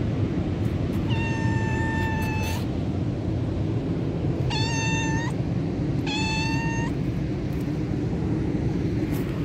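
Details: Tortoiseshell cat found at a beach, giving three clear, steady meows, the first long and the next two shorter, over constant low rumbling wind or surf noise.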